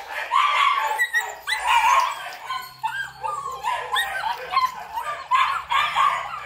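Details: A male Belgian Malinois with a black coat at a Vietnamese dog kennel gives bursts of sharp yappy barks mixed with rising whining yips, coming in clusters about every second.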